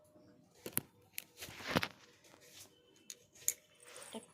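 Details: Quiet indoor scene of scattered clicks, crinkling and a short tearing rustle, with no animal voice.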